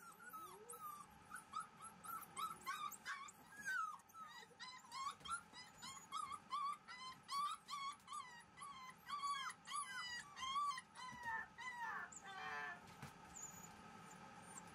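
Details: Black female Shiba Inu puppy whimpering: high, arched whines rising and falling, repeated in quick irregular bursts throughout, with a steady low hum underneath.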